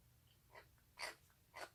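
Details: Young stray cheese tabby kitten, rescued and fed indoors on 1 March 2019, makes peculiar noises as it eats: a faint huff followed by two louder breathy, squeaky snorts in quick succession.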